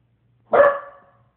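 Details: A Puggle barks at its own reflection in a mirror, giving a single sharp, throaty bark that fades quickly into silence.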